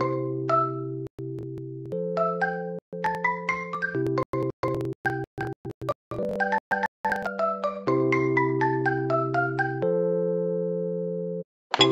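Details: Bright marimba-like mallet music with sustained synth notes and short pauses carries the whole stretch, with no animal sound.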